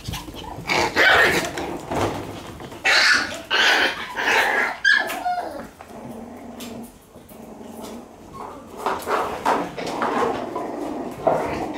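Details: One-month-old Shiba Inu puppy at play, giving bursts of short, squeaky yips and thin whines, loudest at the start and near the end, with scuffling play noises between calls.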